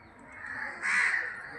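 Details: Many bats hang upside down from trees at a temple, resting by day in summer shade; one rasping, drawn-out screech rises out of a steady murmur of the roosting colony.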